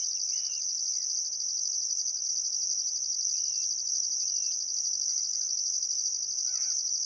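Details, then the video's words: A summer sunset chorus of crickets beside the Barcoo River, Welford National Park, Queensland outback, Australia: a dense high-pitched continuous trill over a rhythmic pulsed overtone, with a few brief whistled bird notes. "Australian Sunset Chirping Crickets"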